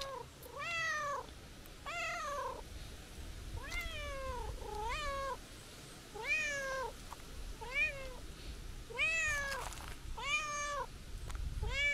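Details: Calico cat, apparently a stray, meowing as a person tries to leave: about nine harmonic meows, each rising then falling, repeated roughly every second or two with some louder and more drawn-out, with quiet outdoor background.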